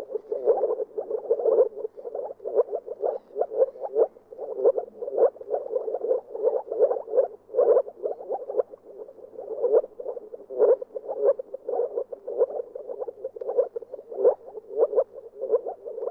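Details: Moor frog calling in a steady, dense run of short, low, bubbling pulses for the whole stretch, overlapping at times, with no other clear sounds.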